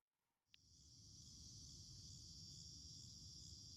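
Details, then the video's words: Garden cicada chorus on an August day in 2026: after a brief quiet moment and a single sharp tick, a high, hissing drone fades in and settles into a steady, continuous wall of sound above a low hum. "cicada chorus in full swing"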